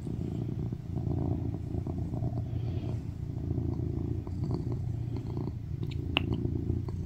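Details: Loud, steady purring from a male tuxedo cat cuddled on its owner's lap, seeking affection; continuous low rumble for about seven seconds with faint rustling and a couple of small taps near the end.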